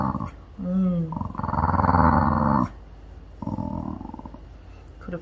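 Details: Mandoo, a pet puppy seemingly sick with a tummy ache, whimpers for attention. A short rising-falling whine is followed by a loud, buzzy, pulsed grumble, then a softer grumble. Soothing human speech is audible.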